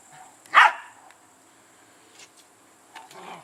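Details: Polish Lowland Sheepdog puppies, 15 weeks old, kennel-bred; one sharp, loud single bark, followed by faint soft yelps and quiet whimpering near the end.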